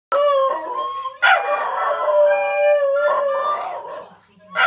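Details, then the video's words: Two-year-old brindle male Cairn Terrier singing along with a recorder at home: sustained, wavering tonal howls that slide slightly in pitch and hold for over a second each, with recorder notes blending in and a brief break before a final rising howl. "Singing dog. Cairn terrier is singing. A dog and a recorder"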